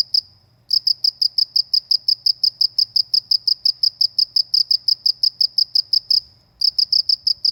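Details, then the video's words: Cricket in the countryside: a steady series of short, high, pure chirps, about five per second, briefly pausing near the start and again near the end; the background is otherwise quiet apart from a faint low hum. "suara jangkrik di pedesaan"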